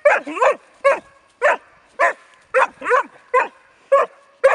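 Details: Rus De'Viaro Venezia, a Bracco Italiano, barks steadily and eagerly, with roughly nine bright, clipped barks in under five seconds, some ending in a slight yelp.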